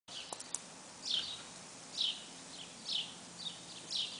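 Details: Baby squirrels inside a nest box, giving short high, downward-sliding squeaks, four of them spaced roughly a second apart over a faint steady background hiss.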